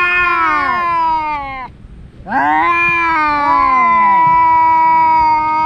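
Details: Domestic cats fighting, a pair of brothers that scrap every day: a falling wail, brief silence, then a long sustained yowl with overlapping wavering notes from both animals.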